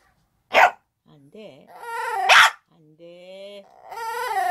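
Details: Shih Tzu during a broadcast rehearsal indoors: two sharp, noisy barks separated by wavering, tonal whine-like cries that rise and fall, with a person's voice close by.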